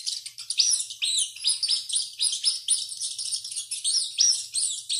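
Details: Rat screaming heavily while running, giving continuous shrill, high squeaks, chirpy and arching, overlapping without pause throughout.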